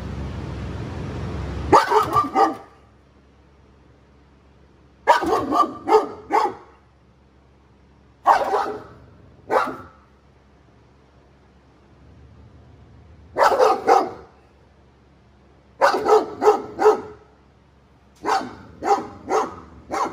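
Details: Cane Corso with aggression issues in dog training, barking in bursts of three to five deep barks separated by pauses of a few seconds, in otherwise quiet surroundings.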